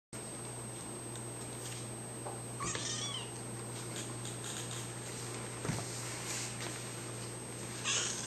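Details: Kitten with two brief, faint meows, one near three seconds in and one at the very end, over a steady low hum and a constant high electronic whine.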